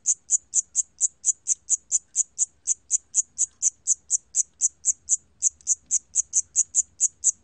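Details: Shrill, high chirping of a cricket (샴귀뚜라미), recorded in 2020 by the National Institute of Biological Resources, with brief pulses following one another roughly four per second in an unbroken, regular train; background otherwise silent.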